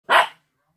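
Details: Old English Sheepdog relaxing in a kitchen gives a single short, loud, gruff bark, with silence following.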